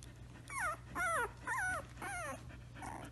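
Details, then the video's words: Samoyed puppy indoors giving a run of four short whining, warbling cries about half a second apart, each sliding up then down, followed by a softer trailing whimper. "Most Adorable Samoyed Puppy Noise Ever"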